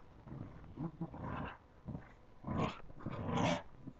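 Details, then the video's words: Playing puppies give low rumbling growls in several bursts, swelling into louder, harsher snarls toward the end. "Pups playing"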